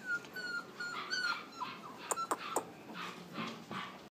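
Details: West Highland White Terrier puppies at a puppy store in Flushing, New York, giving thin high whimpers and short yips, some rising and falling, scattered over a few seconds indoors with faint background noise.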